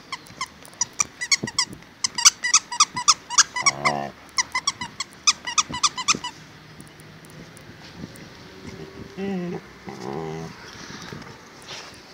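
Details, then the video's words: Akita dog indoors making funny sounds: rapid high-pitched squeaks and yips in a dense irregular string for six seconds, then lower wavering grumbling moans with a person speaking quietly. "Akita making funny sounds"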